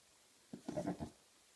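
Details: Maine Coon cat, one of a father and son pair, giving a single brief wavering goat-like bleat lasting about half a second in a quiet indoor setting.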